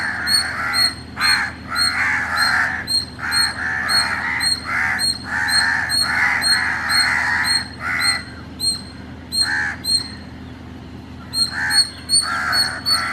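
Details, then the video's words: Indian palm squirrel calling in the early morning in Chennai, Tamil Nadu: thin, sharp chips repeated quickly in runs, with a brief pause midway, over harsh grating bursts. "The sweet sound of an Indian Palm Squirrel"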